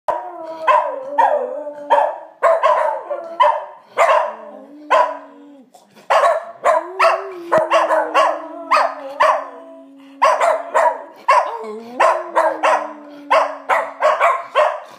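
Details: Several schnauzers howl together, long sustained wavering tones overlapped with rapid sharp barks and yips in dense bursts, a brief pause near six seconds before the chorus resumes.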